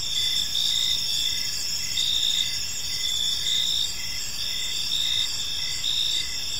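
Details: Crickets chirping at evening in a peaceful park; a dense insect chorus of high, steady buzzing tones with a lower pulsed chirp repeating roughly every half second, with faint background hiss.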